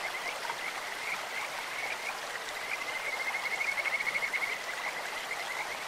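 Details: Kajika frog by a clear stream: scattered high chirps, then a fast, even, bird-like trill for about two seconds, all over the continuous rush of flowing water.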